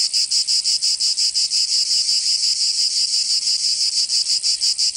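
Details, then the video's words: Loud cicada singing during summer in Provence, France, a piercing buzz pulsing evenly and rapidly, roughly three beats a second, steady from start to finish. "Canto Cigarra 🦗 [ Escuchar les cigarras en verano 10 H]"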